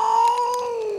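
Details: Jinxie the house cat, being pulled from under a chair, holds one steady, clear, mid-pitched wail that sags slightly downward toward its end.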